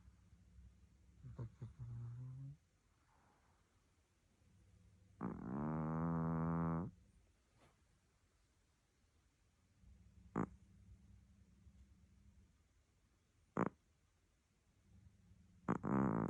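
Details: Sleeping cat snoring, its snore likened to a pig's: low rumbling breaths return about every four seconds, one louder, buzzy, harmonic-rich snort near the middle, with a few sharp clicks in a quiet small room.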